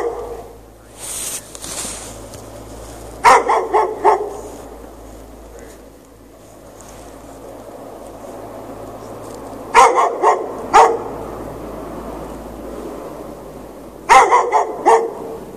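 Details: A dog barks at night while chained outdoors in snow with no shelter, 3 March 2014, after hours of barking. Three bouts of three or four quick, loud barks come about six seconds apart, with a steady hum between bouts.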